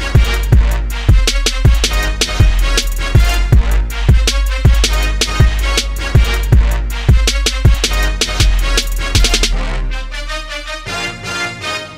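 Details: Loud drum-driven music with a heavy bass beat plays throughout, thinning out near the end.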